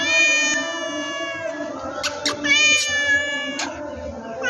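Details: Domestic cat giving sustained, tonal meows with a rich harmonic ring, broken by a few sharp clicks or taps around the middle of the recording.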